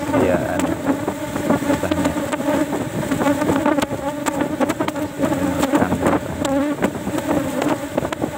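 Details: Asian honey bees buzzing as their fourth cultivation box of the day is opened for honey harvest; dense continuous hum with layered overtones, with frequent sharp taps and scraping from handling the hive.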